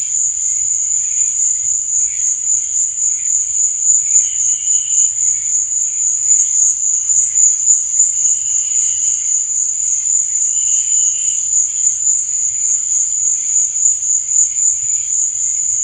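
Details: Crickets at night keep up an even, thin, high trill throughout, while lower, softer chirp bursts recur at irregular intervals of a few seconds. A few tiny clicks and a dull low hum are also present.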